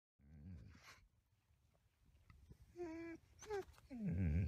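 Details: A captive-born male Arctic gray wolf at a wolf conservation centre in South Salem, New York, playing with a football, gives short, tonal whines and rough, low growls over deep rumbling.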